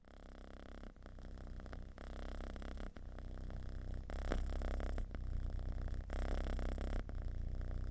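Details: Domestic cat giving a deep, loud purr, a sound most often expressing contentment and relaxation; low rumbling pulses repeat steadily at about four per second indoors, with a faint soft background hiss.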